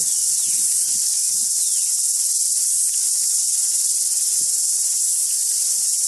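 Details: A deafening cicada chorus forms a constant, high-pitched shrill buzz with no breaks, including a cicada singing close up on a tree, with tuis singing in the background.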